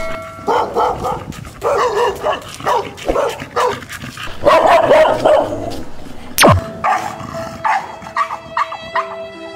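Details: Neighbourhood dogs of several breeds in a Thai street bark loudly at a newly moved-in dog being walked past: short, harsh bursts, sometimes in quick runs, with sung music in the background. Dog.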